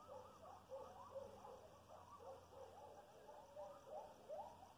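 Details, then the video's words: Distant coyotes half a mile off, several voices in a quavering chorus of short, bending yips and wobbling howls that run continuously with no pause, faint against constant outdoor hiss and a low hum. "Coyotes howling 1/2 mile away"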